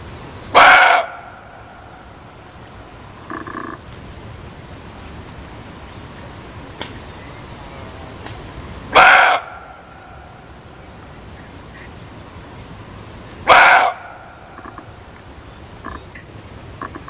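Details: Muntjac barking in a slow series: three loud, hoarse barks spaced roughly four to five seconds apart, with a couple of fainter, shorter calls in between and steady background hiss.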